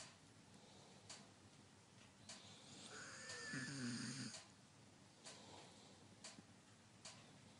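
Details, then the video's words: Sleeping German Shepherd gives a soft snore with a faint high whimpering squeak over it, lasting about a second and a half, amid quiet room hiss and a few light clicks. "Schäferhund piepst und schnarcht"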